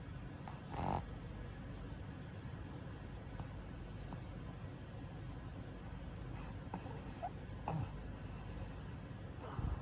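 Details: Tenson, a male purebred black pug born 29 May 2018 in Nagano Prefecture, snoring while sleeping like a human despite an eye injury. Soft low breathy snores run under scattered rustling bursts, with a woman speaking softly afterwards.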